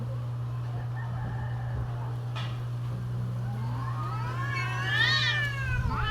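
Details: Mating-season cat caterwaul: a quiet, faint opening with a low moan, then a loud wavering wail rising and falling near the end, with a constant low hum underneath.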